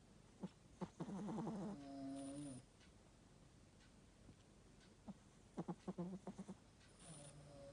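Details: Old 'grandma' Chihuahua, nose a little blocked, snoring in a small room: bursts of quick, fluttering snorts with a wheezy, whistling nasal tone, two main rounds separated by quiet breathing.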